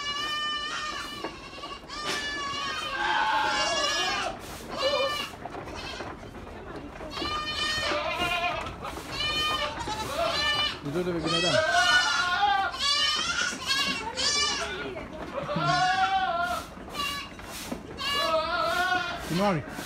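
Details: Farm goats in a noisy chorus of overlapping bleats, some high and quavering, others lower and hoarse, calling almost continuously for twenty seconds.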